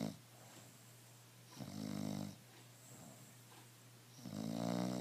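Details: Emma, a pet bulldog, snoring while relaxed and without stress: two deep, rasping snores on the in-breath, a quiet gap between them, over a steady low hum.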